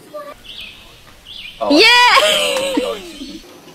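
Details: Domestic cat from a funny cat compilation, giving one loud, drawn-out, strained meow lasting about a second and a half. Its pitch wavers upward, then slides down and trails off. Fainter short sounds come just before it.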